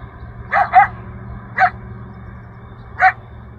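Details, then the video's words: Coyote yelping for its family in the Rancho Sierra Vista open space, Newbury Park, audible a mile off; four short, slightly hoarse rising yips, the first two back to back, over a steady low background drone. "Yelping Coyote in Rancho Sierra Vista, Newbury Park"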